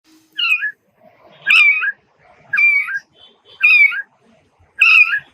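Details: Cat giving five short, high, nasal meows, each rising then falling, spaced about one second apart, with quiet pauses between calls.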